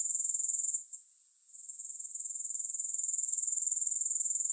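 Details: High, dense insect trill from grasshoppers that briefly fades to near silence for about a second early on, then builds back into a fast, regular pulsing buzz; no music accompanies it.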